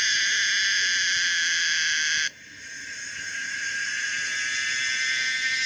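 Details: Pomponia linearis, the common cicada, with a dense high buzz that cuts off abruptly after two seconds, then rebuilds gradually into a softer, swelling drone.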